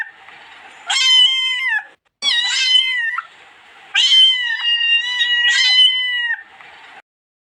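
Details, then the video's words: Loud, insistent meows from a cat, several in a row, each slightly wavering and falling in pitch, the longest lasting over two seconds, with low hiss in the brief gaps. "Kedi Sesi"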